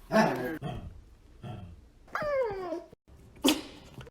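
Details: Pet dogs making weird noises indoors: soft huffs and grumbles, then a falling, squeaky whine sliding downward, ending with a short sharp bark.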